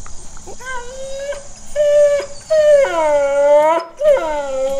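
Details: Dogo Argentino howling: a series of drawn-out tonal howls, the first short and wavering, later ones longer and louder with slight upward bends, a brief gap between each.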